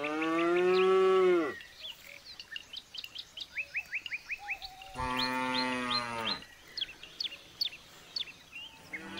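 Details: Two separate low moos from a jumbo bull, the first strong and held, the second a few seconds later slightly weaker, while small birds chirp busily in the pauses.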